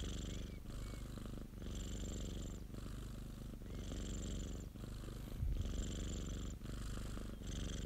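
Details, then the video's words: Purring domestic cat, a friend's pet. A continuous low rumble pulses with breathing, about one louder hissy phase per second, then quieter gaps. Faint thin whistly traces show early on. "고양이 골골송 ASMR 1시간(고양이 그르릉 소리) - Cat purring ASMR"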